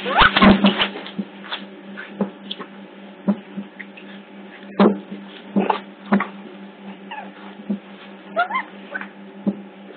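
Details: Captive otter pups at Hertfordshire Zoo, picked up by a hidden CCTV camera: a loud burst of shrill, harmonic squeals in the first second, then scattered shorter squeaks and clicks over a steady low electrical hum.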